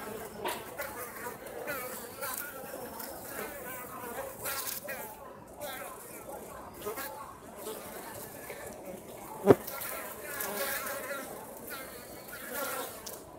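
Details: At Osaka Castle, Japan, Japanese honey bees from a colony that escaped hornet attacks and is now wintering fly out to forage in mild autumn weather; continuous droning of several passing bees, one loud sharp tap.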